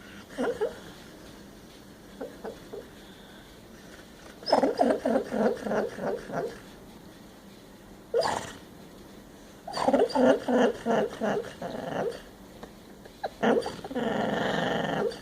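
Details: Bella, a female pet dog, sleeps with her eyes open and dreams indoors, snoring and snorting. Rapid pulsed snorts come in rough bursts of several seconds, separated by quieter breathing pauses, with one sharp isolated puff midway.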